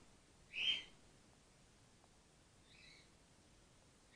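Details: Young female grey-headed flying-fox in care, taking the bottle well after her mother was injured in an empty swimming pool. One loud, shrill squeak, then a fainter chirp two seconds later and a third starting at the end.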